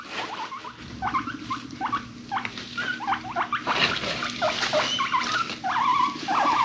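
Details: Pet guinea pigs feeling frisky, chasing each other and rumblestrutting; quick rising squeaks and chirps in rapid irregular runs, over a low steady purring rumble and scuffling.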